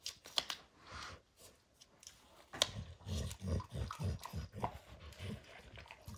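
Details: Max the dog gnawing and tearing apart the leather hide of a baseball, with a burst of sharp crackles followed by a quick run of low, rhythmic chomps, roughly two per second, then softer gnawing.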